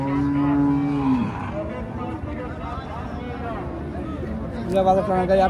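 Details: Friesian cow at a cattle market in Raniganj bazaar, Ghoraghat, Dinajpur, Bangladesh: a single low, steady moo about a second long that drops in pitch at the end, followed by crowd chatter and men talking.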